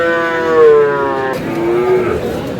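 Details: Sahiwal bull from Kurigram on 5 May: a drawn-out moo easing downward in pitch, followed by a softer, lower moo, with light background voices.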